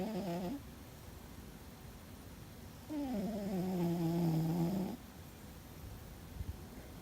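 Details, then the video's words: A sleeping cat named Fuzzy snores loudly. The end of one snore is followed by a steady, droning two-second snore with a smooth, slightly falling pitch, then quiet breathing. "Fuzzy and His Loud Snore"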